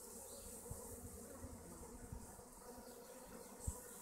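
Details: Honey bees from colonies kept at hives in the west of Augsburg, Germany, give a soft, low continuous hum with brief louder buzzing passes, set against a steady background hiss.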